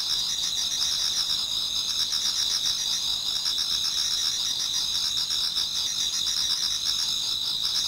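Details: Autumn insects singing towards dawn in a Japanese garden: a dense, continuous high chorus of trilling and pulsing chirps, with bright steady bands layered over one another, many callers overlapping without pause.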